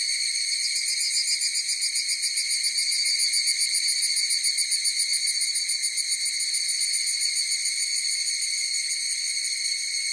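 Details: Many higurashi cicadas calling at once. A bright, high, buzzing ring pulses rhythmically, most clearly in the middle seconds, then settles into a smoother steady tone. Nothing else is audible.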